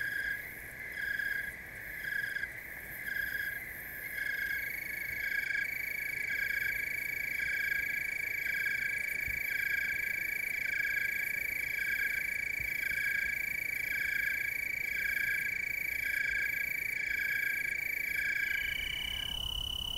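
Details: Tree crickets chorusing in Oregon's Willamette Valley: overlapping high trills, one pulsed and one steady and ringing, continuing throughout over a low, steady background hiss.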